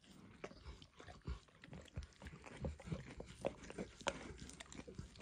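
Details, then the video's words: Close-up licking by Emperor Max, a dog, on a bumpy orange food mat; steady wet lapping and soft smacks with occasional sharper clicks, continuous and irregular, no voices. "ASMR Dog Licking"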